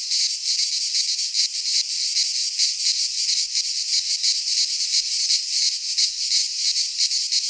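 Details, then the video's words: Cicadas singing in midsummer in a Greek pine forest: a dense, steady, harsh buzzing chorus with rapid pulsing throbs about three per second, loud and unbroken throughout, no other sounds. "Cicadas singing in midsummer"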